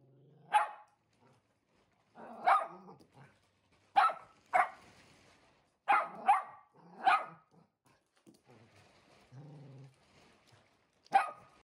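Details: Blue merle Shetland Sheepdog, one year old and easily frightened, barking indoors at a delivered mattress; about ten sharp barks, some in rapid pairs, separated by soft growls and grumbles.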